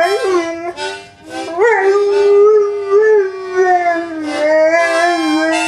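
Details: Pet dog howling along with its owner, long wavering mid-pitched howls that rise and dip, sliding up sharply near the middle, blended with steady harmonica notes.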